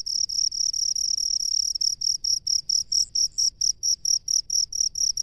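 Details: High, clear cricket chirps from a rice-field dweller, first running together into a near-continuous trill, then separating into distinct pulses about twice per second; faint low background hum.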